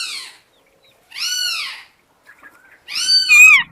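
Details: Kittens meowing: three high, thin arched mews, each about half a second long, separated by silences, the last one rising then falling with a brief squeak.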